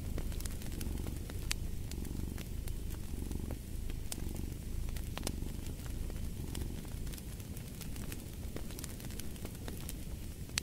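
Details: Soft, rumbling cat purr rolling on in slow breathing waves beneath a busy fireplace, whose dry crackles and pops spike throughout.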